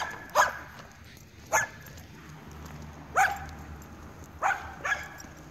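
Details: Jake, a 7-month-old Weimaraner in training, gives five short sharp barks over about five seconds, spaced irregularly with the last two close together, against a quiet background with a low steady hum.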